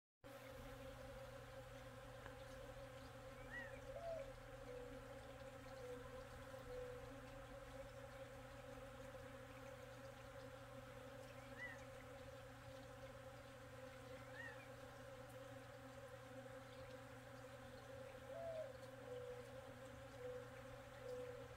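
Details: Bees foraging in a blooming mesquite tree at Redington Ranch, Tucson, Arizona, on 12 May 2023: a steady layered droning hum from many insects, with a few faint distant bird chirps over it.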